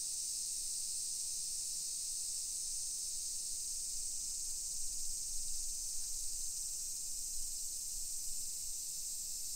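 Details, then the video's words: Summer cicadas in a hillside residential neighborhood of Nisshin city, suburban Nagoya, Aichi Prefecture, Japan, at 1 PM on 28 July 2021: a steady, unbroken high shimmering drone that never pauses, over faint low street rumble. "Summer Cicadas Sounds"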